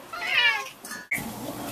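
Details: One of two male Bengal cats trained to sing in harmony on command gives a drawn-out, wavering meow and then a brief second cry, while its owner prompts "sing in harmony."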